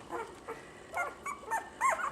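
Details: Puppies from a litter of six females give a run of short, high whimpers and squeaks, some bending up and down in pitch, coming in quick separate bursts with quiet gaps between.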